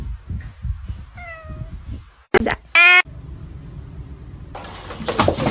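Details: A cat meows: a short, falling, tonal meow, then a louder, harsh, strained cry about a second later, with abrupt cuts between sounds and rustling, clattering noise toward the end.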